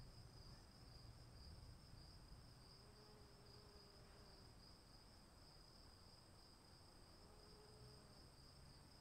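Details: Crickets trilling through rain: one constant, shimmering high note persists from start to end, a softer higher band above it, under steady rain hiss with a couple of faint low drawn-out tones.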